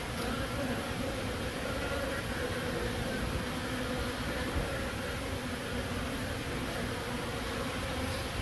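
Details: Honey bees recorded in Himachal Pradesh, India: a steady, continuous drone with a low hum and a fainter higher overtone, set in a dense broadband hiss that persists through the recording.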